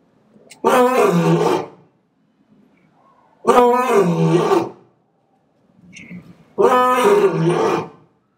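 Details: Captive male lion at Asahiyama Zoo, Japan, in September 2023, roaring as a greeting: three deep, loud, rasping bursts of about a second each, spaced roughly three seconds apart, with faint quieter grunts between.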